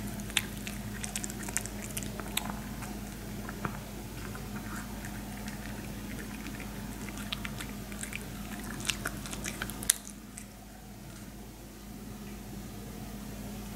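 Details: Several Maltese dogs gnaw pig ear slices inside a small room, making dense bursts of crisp biting and crunching clicks. The chewing stops near the end and only a steady low hum remains.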